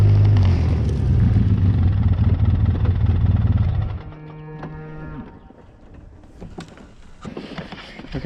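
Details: On a farm, a mother cow near a wooded area bellows for her missing newborn calf: a deep, drawn-out, harmonic moo over low rumbling. The owner is searching for the calf and worries about coyotes and bobcats.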